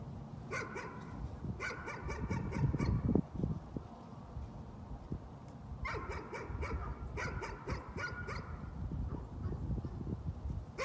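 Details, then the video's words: Distant nuisance barking comes in rapid clusters of short, sharp barks, two bursts early and two more later, over constant low-pitched rumbling noise. "Nuisance barking again."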